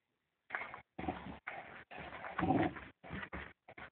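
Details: Fox terrier dog at play with a toy, giving short rough growling bursts, about seven in four seconds, separated by brief silent gaps, with a louder throaty swell near the middle.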